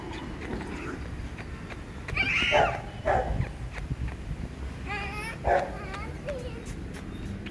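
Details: Chihuahua puppies, male and female, offered for sale, giving a few short, high whimpering cries with rising and falling tones, over a steady background hum and scattered clicks.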